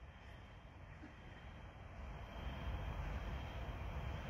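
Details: Steady engine-like roar rising slowly in loudness outdoors during border collie training, with no animal voice.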